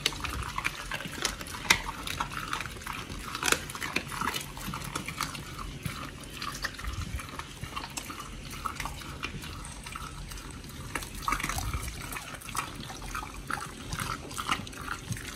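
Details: Oli and Nommy, two pit bulls, feed on raw giant white snapper, recorded October 21, 2023. Steady, quiet, wet chewing and smacking continues throughout, with scattered sharper crunches.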